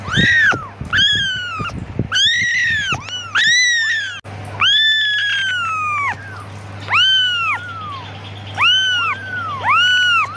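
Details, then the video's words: Calling for its mother, a kitten lets out rapid bursts of shrill meows, then longer drawn-out ones and a few evenly spaced shorter cries, over a continuous low hum. "Anak kucing lucu memanggil ibunya"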